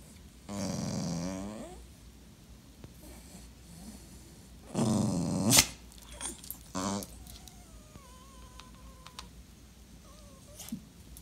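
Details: Dachshund, described as a clingy sausage dog, vocalizing while ignored: drawn-out harmonic whines and grumbles in separate bursts, then a short yelp-like note, followed by faint, thin wavering tones and soft rustling.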